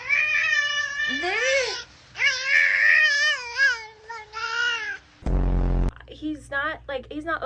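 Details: Domestic cat indoors giving a run of drawn-out, wavering meows that rise and fall in pitch, several in close succession, with a person talking over and between the calls and a brief burst of noise near the end.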